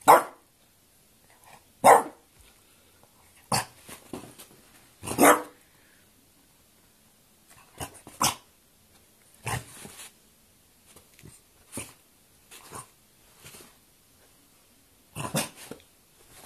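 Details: Dinky, a French Bulldog, quarrelling: short sharp barks come in irregular bursts, some single and some paired, separated by quiet gaps with faint low growly grumbles between them.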